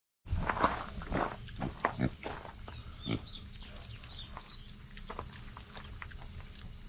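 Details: Loud cicada chorus, described as noisy, forms a steady high shrill drone through the whole stretch. Below it come low snuffling and footstep sounds from a female micro pig, plus a few short chirps.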